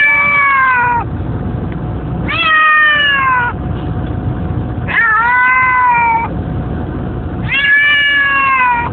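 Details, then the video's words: Pet cat riding in a car on the way to a school pickup, meowing loudly in long, slightly falling wails about every two and a half seconds, four in a row, with steady road rumble beneath. "Cats hate car rides"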